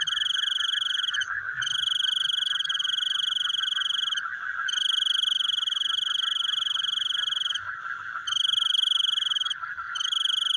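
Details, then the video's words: Frogs calling at night: loud, rapid pulsed trills in long bursts of about three seconds, broken by brief pauses, over a steady, dense background chorus of calls. "The Sound of Frogs Chewing in the Night"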